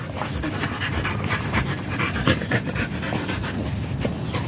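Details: German Shepherd at a stud session in Nalsian, Manaoag, Pangasinan, panting hard and fast in rough, breathy bursts about four per second, with steady background noise.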